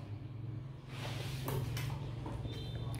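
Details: A low steady hum runs under sliding and knocking sounds, like a cupboard or door being moved indoors, with no animal voice present.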